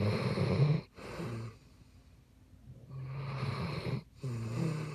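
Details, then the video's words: A Basset Hound snores heavily, two strong guttural inhalations framing a quiet pause, each ending in a fluttering, nasal rattle. "12 Hour Basset Hound Yule Log"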